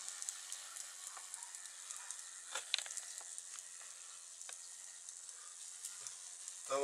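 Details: Thin, even hiss with scattered soft clicks and crackles, ending in a short burst of voice.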